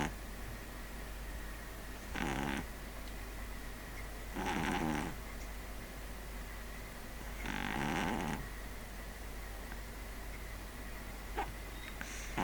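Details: Pug named Neal asleep, snoring loudly: three broad rasping snores at about two-to-three-second intervals, the last longest, over a steady low hum and faint whine.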